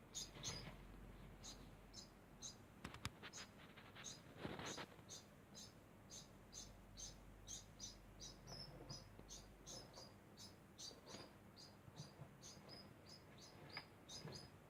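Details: Degu making a constant sound. A long run of short, high chirps repeats steadily at about two per second. A few sharp clicks and rustling bursts come near the start.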